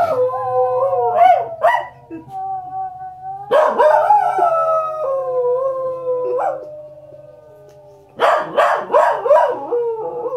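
A corgi gives drawn-out, wavering howls that slide up and down, mixed with quick high yips. Wolf howls from a television play at the same time over a low steady hum.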